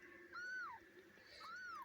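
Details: Newborn kitten crying as Kitty, a four-year-old female domestic cat, gives birth indoors on a bed, helped through a tiring labour. Two clear, high mewing cries, each arching up then sliding down, about a second apart, over a low indoor hum.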